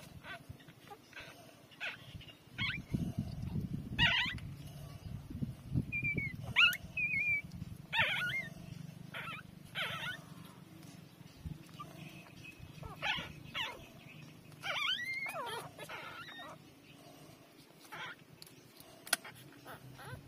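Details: Three-day-old street-dog puppies suckling from their mother, uttering repeated thin squeals and wavering whimpers, some sliding up and down in pitch, between soft rustling and shuffling sounds.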